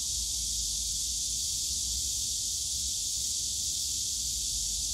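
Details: Cicadas in the bamboo grove of Yongsan Family Park on a summer day: a dense, unbroken high buzzing drone that holds steady without pauses, with a faint low rumble of park noise underneath.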